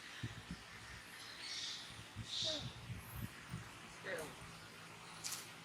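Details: Monkey Brady crying while being disciplined by monkey Rose at Angkor Wat Park; a few high, breathy squeals and short, falling tonal whimpers over soft rustling and low thumps.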